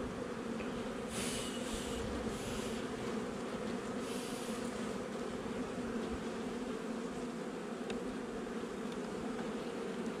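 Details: Hive inspection of a honey bee nuc, installed just over a month before, on 8 July 2020. A continuous, even buzzing drone of many bees runs throughout, with brief rustling and handling noises near the start and around four seconds.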